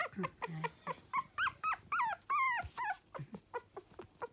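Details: Energetic male Toy Poodle puppy; quick run of yips and whimpers, several drawn-out wavering whines in the middle, then short sharp yelps tapering off.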